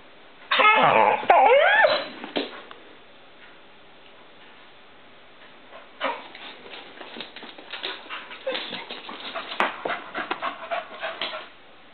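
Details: Poppy, a female pet dog, reacting to light reflecting on a wall she keeps trying to catch; a loud, strained bark-whine burst opens the clip, followed by quieter scuffling, sniffing and faint yips.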